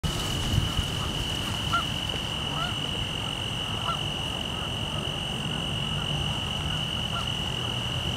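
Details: A male Forbes' tree cricket (Oecanthus forbesi) gives a steady, unbroken high trill holding one pitch, on a windy 6 October 2014 at Danada Forest Preserve, Wheaton, Illinois, with wind noise and Canada geese in the background.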